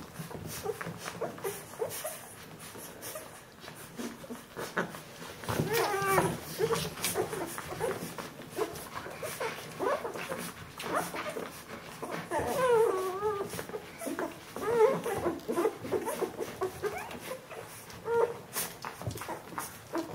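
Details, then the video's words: Fourteen-day-old Bernese Mountain Dog puppies, Jeanie and Captain's litter, give thin wavering squeals and whines at intervals, some bending upward then falling, amid steady rustling and soft handling noises. "Jeanies und Captains Welpen 14 Tage alt Bernese Mountain Dog Puppy"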